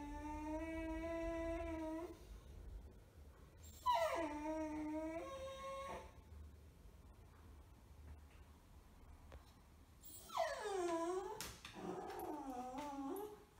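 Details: Bagel, a six-month-old male beagle puppy wearing a cone after his sterilisation surgery and apparently resentful, gives three drawn-out, tuneful whining cries: a steady one, then a wavering falling one, then a long swooping cry that dips and rises.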